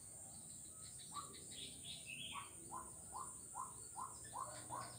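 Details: A frog along Jalan Kolonel Sugiono, Kuala Kapuas, Central Kalimantan, 4 November 2021, starts up after a short gap and repeats short rising knocks about twice a second, over faint high chirps and a steady hiss.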